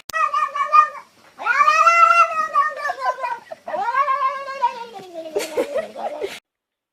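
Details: Female domestic cat making strange, funny vocalizations: three long drawn-out wavering yowls with rich harmonics, bending up and then down, separated by short pauses, ending in a rougher, noisier call; indoors.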